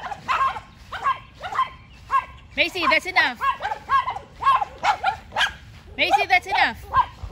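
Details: Macy, a Yorkie, challenges the neighbour's two dogs with bursts of high-pitched barks in quick clusters of two or three, some ending in a whiny downward slide.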